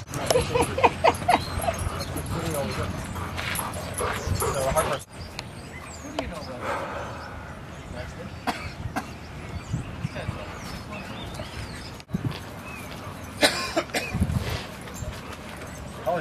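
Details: Dogs Rosy and Rocky playing at Seal Point Dog Park on the western side of San Francisco Bay, March 5, 2015: short barks and yips early on, then people talking over outdoor background noise.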